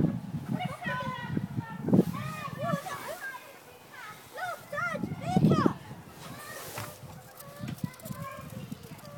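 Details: Meerkats in the snow at a zoo give quick runs of bright, arched chirps while people talk nearby.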